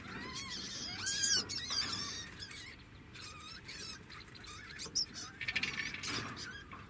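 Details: Pet degu singing, giving a run of bent, warbling squeaks in the first two seconds with thin high overtones, then softer scattered chirps over rustling background noise.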